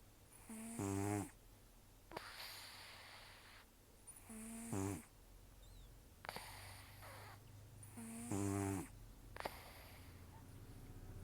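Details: Rescued cat Taro, estimated 10 to 14 years old, toothless after long life outdoors, sleeping: three raspy, rumbling snores about every four seconds, alternating with breathy, whistling exhales through the nose in a quiet room.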